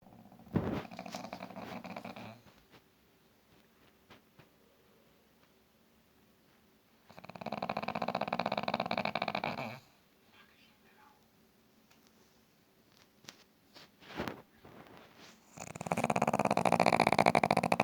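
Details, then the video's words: Sleeping female pet dog indoors, snoring like a human: loud, broad raspy bursts around two to three seconds long, separated by quiet stretches, with a few short clicks and knocks in between. "Our dog was snoring"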